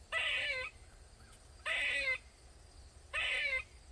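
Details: Squirrel in a backyard in Maryland, calling loudly for over 45 minutes; three harsh, nasal, half-second cries repeat about every one and a half seconds over a quiet background.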